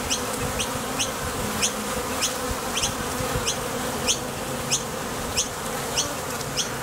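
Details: Honey bees leaving and landing at a Top Bar Hive entrance while foraging for nectar; a constant, dense hum underlies bright short ticks recurring about every half second.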